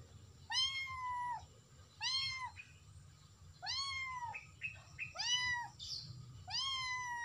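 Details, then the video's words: Domestic cat calling out to its friend: five clear, evenly pitched meows, each rising then dropping, repeated about every one and a half seconds, with a few short softer chirps between and a quiet hum behind. "SUARA KUCING MEMANGGIL TEMANYA"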